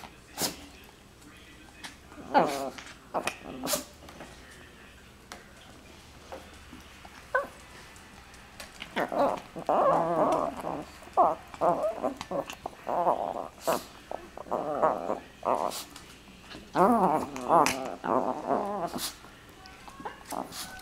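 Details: Dogs play fighting by jaw wrestling, mouths open and teeth flashing. Short clicks and thumps early on, then dense bursts of rough, rolling growls and whiny grumbles through the second half.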